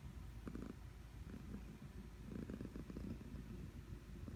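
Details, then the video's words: Sleeping domestic cat snoring: a soft, low rumbling drone with faint rhythmic pulses rising and falling across the few seconds, in a quiet room. "Cat Is Snoring"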